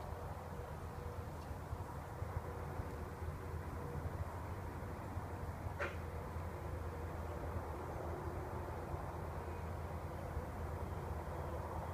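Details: Quiet, steady hum of distant machinery or traffic with one brief soft tick, and no animal sound.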